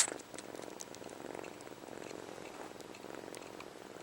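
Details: Purring kitten HAL sucking his own paw, a habit from early separation from his mother; opens with a sharp burst, then a continuous rhythmic purr with faint sucking clicks.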